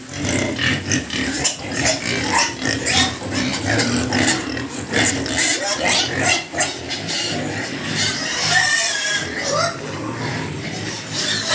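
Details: Pigs on a pig farm, a sow with her piglets, grunting and squealing in dense bursts across the recording, with a man speaking over the animals.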